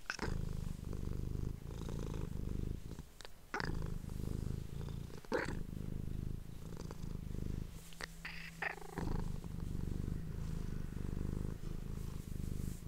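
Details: Indoors, a female domestic cat purrs while a person whispers to her, recorded up close: a long, deep rhythmic rumble with scattered soft clicks and a brief steady hum midway through.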